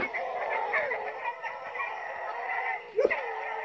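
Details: Odin, a Siberian Husky, gives a wavering, gliding howl-like cry with a sharp upward yelp near the end. A person keeps asking "What is that?" over it.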